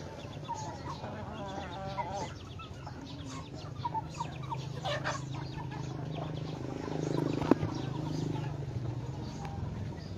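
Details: Myanmar fighting cock giving a run of short, stacked, wavering clucks in the first two seconds, then quieter scattered notes over a steady low hum and background rustling.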